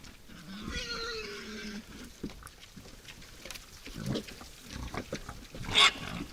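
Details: Wild boar at a forest feeder at night: one drawn-out, tonal squeal lasting about a second, followed by scattered clicks, snuffling and rustling sounds of feeding.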